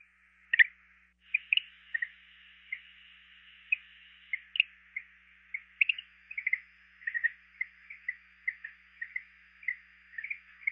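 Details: A greenhouse frog (Eleutherodactylus planorostris) gives soft, high chirps at irregular intervals, sometimes doubled, over a steady hiss; a Georgia recording.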